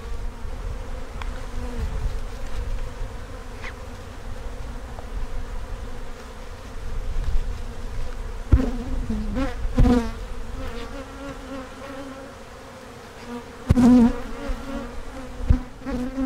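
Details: Worker honey bees buzz softly in a low, continuous drone as a hive is opened to check for queen cells; sharp knocks and tool clicks break in several times, with faint speech.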